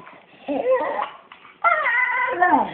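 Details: One-year-old pet Staffordshire Bull Terrier growling indoors: two drawn-out, moaning, tonal vocal bursts, a short one then a longer, louder one that slides downward at the end, in a small quiet room.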